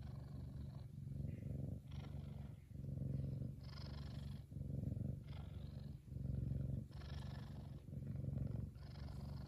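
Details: A happy male F2 Savannah cat purrs loudly and contentedly, a deep steady rumble that swells and fades with each breath.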